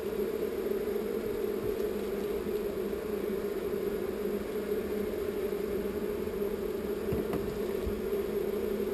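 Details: Swarm of honey bees being relocated from an undesired location, giving a dense, steady, unbroken drone of many wings at a mid pitch, with a constant low rumble beneath it.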